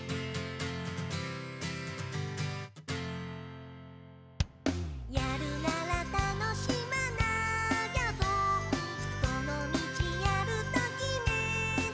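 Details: Bright children's music with plucked guitar and bell-like notes breaks off into a brief near-silence with one sharp knock, then resumes, and no animal voice is heard.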